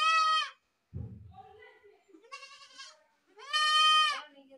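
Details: Goat screaming in loud, strained, harmonic-rich bleats, one about half a second long at the start and a longer one near the end, with lower, softer vocal sounds in between.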